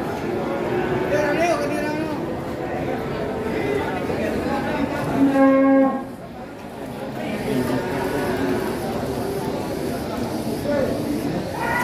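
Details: Huge cattle kept for two years on Mount Telomolya after being bought young at a market: a single strong, evenly pitched moo lasting under a second breaks through ongoing chatter and background crowd noise.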